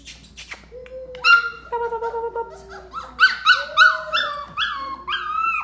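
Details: Belgian Malinois puppies giving high, drawn-out whines that break into a run of rapid, sharply rising and falling yelps, loud and close, with a quiet room in the background.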